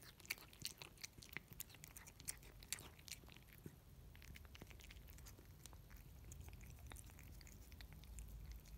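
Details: Indoor Russian Blue cat eating wet food, close up: wet smacking and clicking chews in quick irregular bursts, louder in the first three seconds, then softer steady licking and munching.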